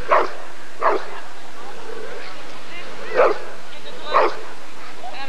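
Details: Rottweiler barking at the 1994 ADRK Körung breed survey: four sharp, separate barks, two close together at the start and two more after a pause, with background murmur.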